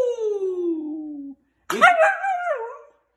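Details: Husky howling: a long tone slides steadily downward for over a second, then after a short pause a bent, yodelling cry rises and wavers before trailing off, from one of a group of lively, hyperactive dogs.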